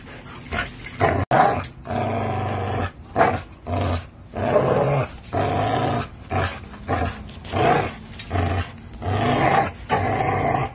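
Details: Growling from an American Bully and a Pitbull during tug play with a Tugmutt toy: about nine throaty, pulsing bursts, steadily repeated with short breaths between them, and one sharp click early on.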